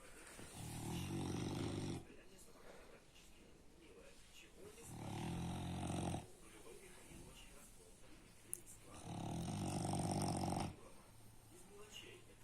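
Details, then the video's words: French Bulldog named Baks snoring heavily, long low rattling inhalations lasting about one and a half seconds, three of them spaced roughly four seconds apart, quiet breathing between. "Французский бульдог Бакс очень сильно храпит"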